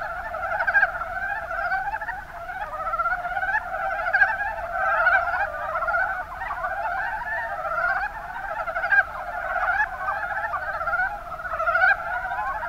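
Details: Mountain brown frog (Rana ornativentris) chorus in the Kuma Basin, Kumamoto, Japan: many frogs calling at once in dense, overlapping chuckling pulses, a steady rolling wash with louder bursts near one, four and twelve seconds.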